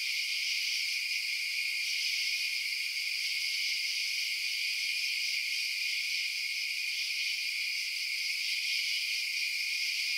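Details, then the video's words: Steady nighttime cricket chorus: a thick, high, hissing trill from many insects, constant in level with nothing else heard. "Night Sounds Crickets Chirping"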